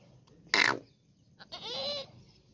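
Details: Goat that has just given birth to a female kid, calling with a short high bleat followed about a second later by a longer wavering bleat with clear harmonics.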